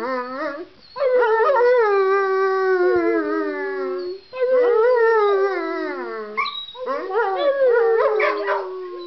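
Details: Dog howls repeatedly: sustained, wavering tones that fall in pitch over two to three seconds each, with brief gaps for breath and a yippier, broken final howl.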